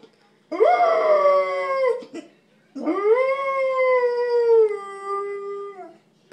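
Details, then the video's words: Talkative pet dog giving two long howls, each rising sharply at the start then easing slowly downward, the second one longer and wavering near its end; quiet background. "My sister dog is very talkative"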